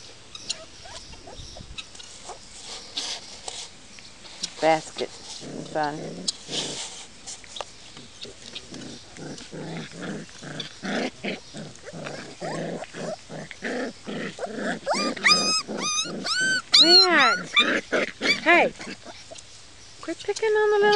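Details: Puppies from Copy and Peach's litters, four and five weeks old, give high, arching whines and yelps. The calls bunch together in a rapid burst near the end, over a background of people talking and earlier scuffling noises.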